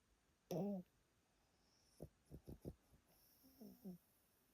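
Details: Yotaro, an elderly Pomeranian asleep at a relative's home, snoring loudly: a short harmonic snort, then a quick run of four or five low pulses, then a softer drawn-out harmonic breath.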